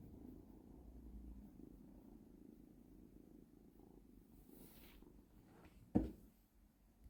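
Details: Domestic cat playing with a laser pointer in hunting mode, indoors; a low, steady rumbling purr runs for about five seconds, fading as a brief hiss and a sharp knock or thump sound near the end.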